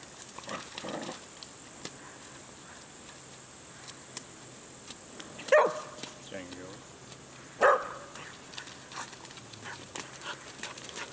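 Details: Whippets meeting a horse for the first time give two short, sharp barks, a few seconds apart, while a person talks nearby over a faint outdoor background.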